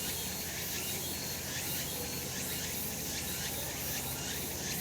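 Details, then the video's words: Summer cicada chorus from a sunlit mountain in Japan, a continuous shrill buzzing wall of sound with faint rhythmic pulses roughly each second and a soft low background hum. "セミの鳴き声 夏の山 日なた"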